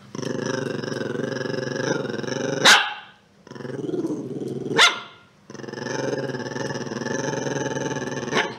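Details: Chihuahua growling in long, rough, continuous stretches of about two seconds each, broken by brief sharp yaps or squeaky barks at the end of each stretch.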